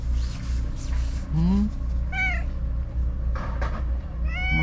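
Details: Stray white cat living among the tetrapods, back after being gone all day, meowing energetically: a short rising meow, then two bright, drawn-out harmonic meows spaced about a second apart, with a woman talking to it in Japanese and a low engine hum.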